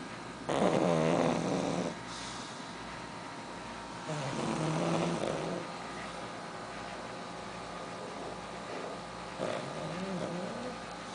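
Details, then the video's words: Pug asleep, giving two drawn-out snorting, rasping snores with a quieter wheezy breath near the end; steady low room hum underneath. "Pug dormindo e roncando"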